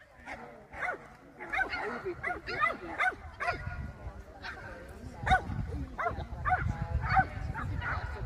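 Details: Kleinspitz, a small German Spitz, barking during an agility run on 30 June 2024: sharp high yips in quick clusters, some with a rising-falling bend, with crowd voices and low rumbling handling noise behind.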